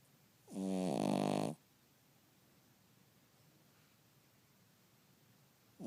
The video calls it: Stuart the Cavalier King Charles Spaniel Snoring